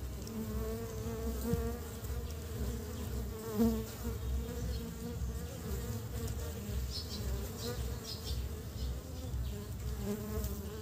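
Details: Western honey bees (Apis mellifera) bringing pollen back to build their nest in early spring hum in a steady, low, droning buzz that swells and fades as they fly past.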